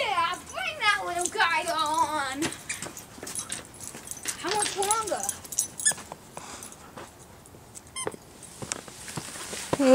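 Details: Emi the dog, excited over a new toy with a fake squirrel tail while playing with Jackson, makes warbling, yodel-like whines that rise and fall. A long run opens the stretch and a shorter one follows mid-way, with human chatter throughout.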